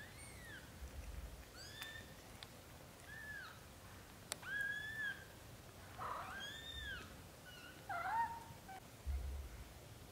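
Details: Young British Shorthair kittens, from a litter of four growing up over their first 30 days, cry in a run of high, arched squeaky mews, some overlapping, with a sharp click and soft low thumps in between.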